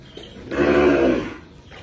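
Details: Khmer cattle, cows and bulls: one short, even moo lasting under a second, a rich tonal sound that swells and then fades, over a quiet background.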